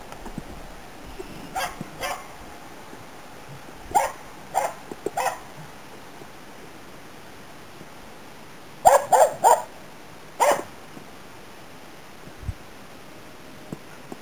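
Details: Autumn 2010 in Inari, Finland, a Finnish Spitz called Nella barks while hunting waterfowl and game birds; fainter, more distant barks come in small groups of two to four, with a quick triple burst near the end.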